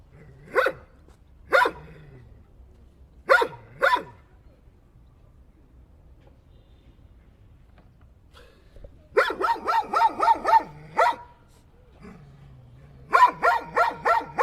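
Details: A dog gives single and paired barks, then a rapid run of about eight quick barks, a short gap, and another fast series; the barks are sharp and mid-pitched over faint low background noise.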